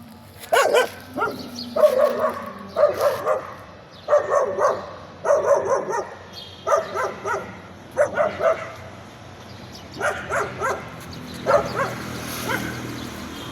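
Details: A dog hidden under a car barks in a steady run of about a dozen short, rough barks, often in close pairs, roughly one per second, over faint background noise.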